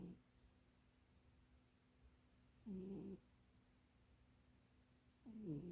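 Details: Munchie, a house cat, snoring while napping in an undersized box: short raspy breaths with a descending tone, spaced about two and a half seconds apart, room otherwise quiet.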